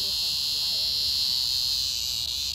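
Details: Found Locus Cicada screaming: an unbroken, shrill, hissing drone at constant loudness from start to finish, with no pauses or changes in pitch.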